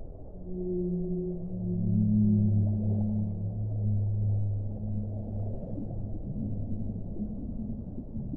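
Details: Whale song: deep, drawn-out harmonic moans that swell and gently waver in pitch, overlapping low tones lasting several seconds, rising in loudness midway and then trailing off over steady underwater rumble.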